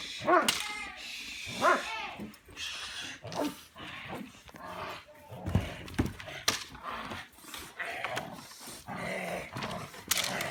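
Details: Belgian Malinois named Bullet doing bite work in a back yard, giving sharp, irregular barks in quick bursts about every second or so, mixed with people talking and giving commands, plus thuds and scuffling.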